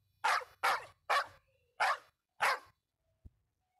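A dog gives five sharp, rough barks in a quick, even series, about two each second.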